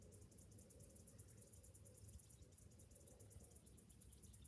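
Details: Summer morning cicadas: an unbroken, quickly pulsing shrill buzz high in pitch, set against a low, steady rumble of background noise.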